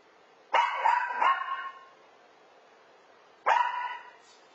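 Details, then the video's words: Puppy that never stops barking, indoors with a cat that finally silences it; two sharp, ringing barks three seconds apart, the first with a quick double tail, over a quiet background. "Cat Shuts Up Barking Dog"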